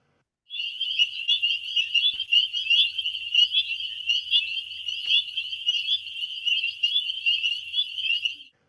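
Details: A dense chorus of spring peeper frogs, many high, piercing peeps overlapping into a continuous shrill ringing, likened to the auroral chorus.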